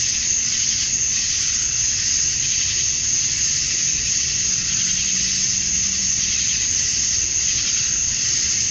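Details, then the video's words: Male cicadas in Georgia, USA, chirping at summer dusk to attract females; a thick, constant high-pitched buzzing wall of sound, with a faint low hum passing underneath midway. "Cicadas at Dusk, Summer Night"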